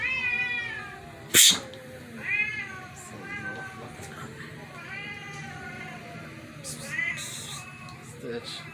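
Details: Cats reacting to a strange meow, one gray cat creeping over to investigate; bent harmonic meows repeat about once a second beside a sharp knock and a man talking.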